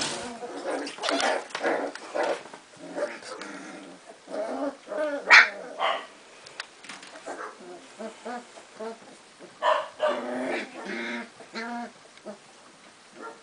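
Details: Litter of Cardigan Welsh Corgi puppies arguing in Sweden on March 22, 2015, once visitors had gone: dense mix of sharp yappy barks and rough growls, overlapping and irregular, with one loud yelp midway.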